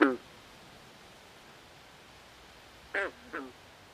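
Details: Frog calling at night by a swamp: a short nasal, quacking note at the start, then a pair of brief harmonic croaks about three seconds later, with quiet steady background hiss between.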